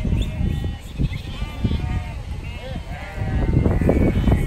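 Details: Sheep being herded by a Border Collie at Snowdon, UK, 1 September 2019: a busy chorus of short and long shaky bleats from several animals, with gusting wind roaring underneath.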